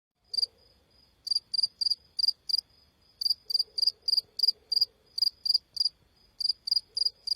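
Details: Crickets chirping: high, shrill pulsed chirps in quick bursts of two to four, about 200 pulses a minute, with short pauses between bursts and a faint low hum underneath.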